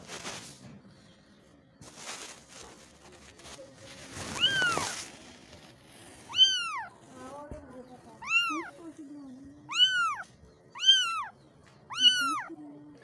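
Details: Kittens calling for their mother. After a few seconds of rustling noise, a series of five high, arched, piercing meows comes at roughly one-second intervals, each rising then dropping in pitch.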